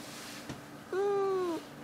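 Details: Domestic cat named Nobita indoors, softly making its cute small 'kuu' coo rather than a meow while chatting: one smooth, level, tonal note lasting about two-thirds of a second, slightly falling at the end, in a quiet room.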